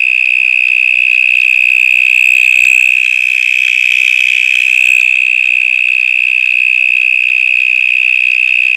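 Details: Extremely loud cicada calling from somewhere inside a stormwater drain: a constant shrill, even buzz at a fixed high pitch, sustained without pause, with only faint low rumbles beneath.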